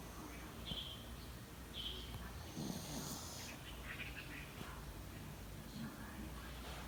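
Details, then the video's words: Yorkshire Terrier asleep uninvited in a person's bed at 09:15 on 28 February 2019, breathing in soft, breathy, hissing snores with a louder rasping breath near the middle, plus a couple of faint high chirps early on over a steady room hum. "人のベッドで勝手に寝るヨーキー💤寝息がたまらんくらい可愛い❤️Sleeping Yorkshire Terrier💤打鼾的約克夏"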